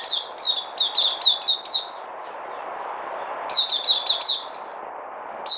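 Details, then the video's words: Puteh (white-eye) kept as a songbird, recorded 3 August 2020, giving a quick row of piercing downslurred chirps, a silent stretch, then a second rapid run ending in a slightly buzzy note. "Puteh Crazy"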